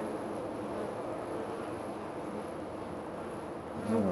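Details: Honey bees swarming around a hive 25 to 30 feet up a tree by a back door, recorded up close; a constant humming buzz that swells louder at the very end.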